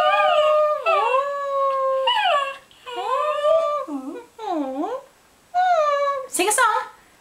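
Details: Singing to get his ball thrown, Theo, a Cairn Terrier, gives a run of howled notes indoors. Some are level and long, others swoop down and back up, with short pauses between phrases and a person speaking alongside.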